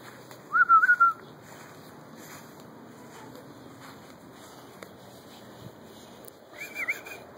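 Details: Pet guinea pig named Milo following its owner around: a short wavering whistled note near the start, then a higher bending whistle close to the end, with quiet room background between.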